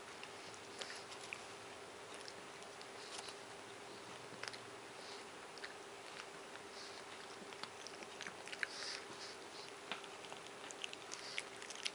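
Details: Bone chewing and licking by Moshi, a male Japanese Chin almost seven years old, fresh from a bath and absorbed in it; light, uneven clicking and crunching bites, quiet room with a constant low hum.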